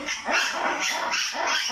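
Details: Black-and-white ruffed lemurs at the Hong Kong Botanic Garden on a morning walk, squabbling noisily when one dislikes another's call; harsh, barking bursts repeat about every half second in a loud, continuous exchange.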